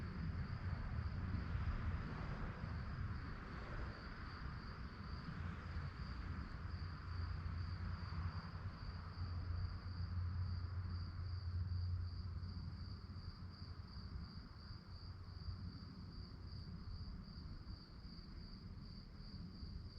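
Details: Night-time crickets give a continuous high pulsed chirping, rapid and even throughout, partly masked by a heavy low droning rumble like a passing vehicle or train in the first half.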